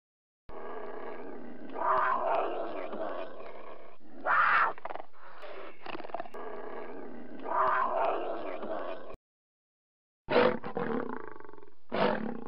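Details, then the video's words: Red panda giving a varied series of strange sounds: harsh, raspy, huffing grunts in long noisy stretches, broken by brighter squealing bursts, then a short silence followed by sharp clipped snorts near the end. "Red Panda Sounds"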